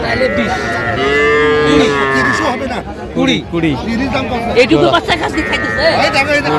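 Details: At a Madaripur cattle market on 13 January, a Sahiwal calf lets out one long, steady, fairly high moo lasting over a second, followed by shorter broken calls amid chatter and shouting from the crowd of buyers and sellers.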